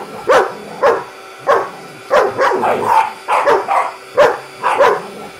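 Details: German Shepherd and a Wauzer barking at a vacuum cleaner they hate: harsh repeated barks roughly every half second, some doubled, over a steady mechanical whine.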